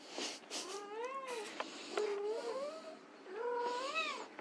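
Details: White Persian kittens playing, giving a series of thin, high meows with wavering, rising and falling pitch, several overlapping calls in quick succession, a short pause, then another drawn-out meow; faint clicks and rustling indoors.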